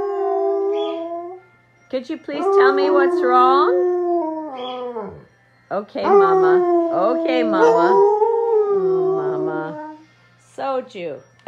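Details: Three Alaskan Malamutes howling together to vent, like letting off steam; one long sliding howl, then overlapping wavering howls rising and falling in pitch, with yelping breaks, ending in short yips after a pause.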